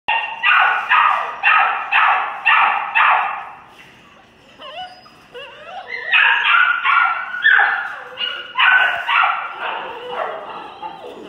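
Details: Rescue puppies from a 2018 litter barking in quick, high yappy bursts, roughly two per second, with a short lull near the middle before the barking resumes, slightly hoarse and overlapping.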